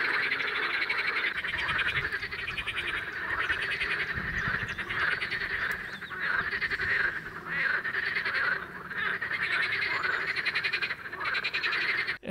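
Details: In spring at a small pond, a dense chorus of common water frogs and pool frogs: rattling, pulsed croaks overlapping from many males, mainly from two sides of the water, calling to lure females.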